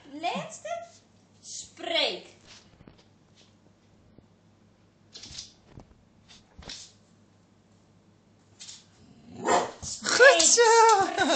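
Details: Twirre, a one-year-old Bull Terrier that seldom barks, in an indoor training session barking on the command "speak" (Dutch "spreek"); two short, harsh barks near the start, sparse clicks, then a person's spoken praise at the end.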